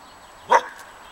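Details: A Laika guarding a village yard in late April 2017 gives one short, sharp bark while sparrows fly about; the yard is otherwise quiet.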